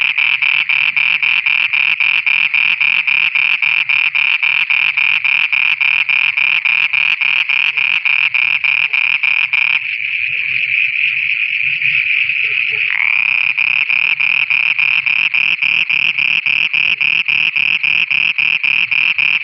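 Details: Frogs singing at night in Pakistan: rapid pulsed croaks, roughly three or four per second, run over a steady high ringing drone. The pulsing briefly breaks off near the middle, then resumes.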